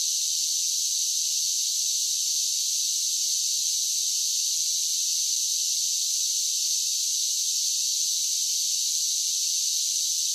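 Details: Summer cicada song as an unbroken, even, shrill buzz that holds one loudness throughout, with no pauses and nothing else audible.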